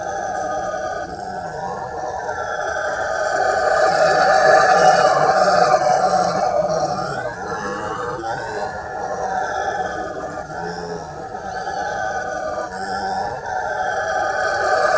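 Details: Howler monkeys roaring at the Jardim Botânico in São Paulo, Brazil, in July 2020: a dense, continuous growling roar that swells to a peak mid-way, fades, then rises again toward the end, with no other clear sounds.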